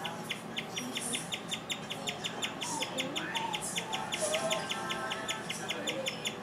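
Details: Domestic guinea pig in a house, keeping up a rare and unusually long chirping bout. Bright, piping chirps repeat steadily about two to three times per second throughout, with soft lower tonal sounds and quiet household noise underneath.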